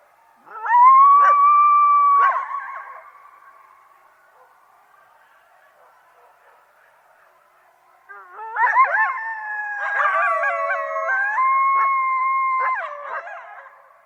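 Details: Coyotes (Canis latrans) give a long, steady howl, then several voices join in with wavering howls and sharp yips.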